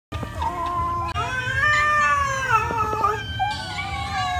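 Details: Cats eating rice give drawn-out, tonal cries that waver and bend slightly in pitch, several overlapping, with a short break after the first second; a steady low hum runs underneath.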